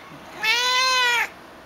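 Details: Talkative young black female cat in a small shelter kennel in Austin, Texas, eager to get out and fond of people; one clear, sustained meow lasting under a second, even-pitched and harmonically rich, with a quiet indoor background.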